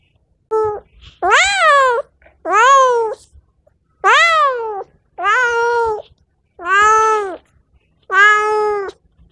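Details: Cat calls meant to attract cats: a steady sequence of seven long, tonal meows with rich harmonics, each bending upward then sliding down, spaced about a second apart, with faint clicks and little background noise.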